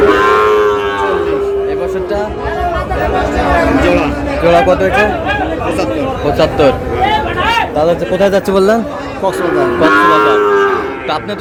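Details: Lowing of Sahiwal breed cattle among bull calves purchased by a Cox's Bazar farmer in Bangladesh; a long flat moo for the first two seconds, busy human speech and chatter through the middle, then a shorter moo near the end.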